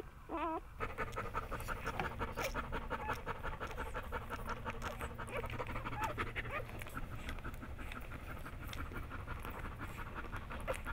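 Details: Hannah, a female Bernese Mountain Dog, pants rapidly at home while giving birth to the first of her nine puppies on July 16, 2013. Fast, rough breaths repeat steadily, with a brief whimper at the start.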